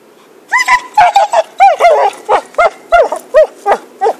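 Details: Dog called Happy, playing with a stick in 2012, lets out a rapid volley of about twelve loud, arched barks, each short and slightly rising then falling, spaced about a third of a second apart.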